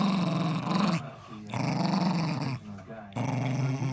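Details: A 10-year-old Jack Russell Terrier named Eddie guards his ball with deep, rough growls, three short bursts separated by quick inhalations, with a faint voice nearby in a small room.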